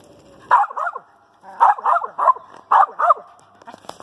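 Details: A female dog with a squirrel treed barks in quick bursts: loud doubled and tripled barks, about eight in all, with brief softer sounds near the end and a steady hum.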